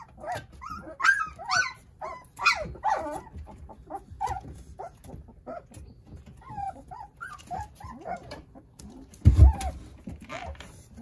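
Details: Nine young Jindo puppies at play beside their mother Sarang: sharp, high yips and small barks open the passage, followed by softer rising whimpers and a loud thump near the end.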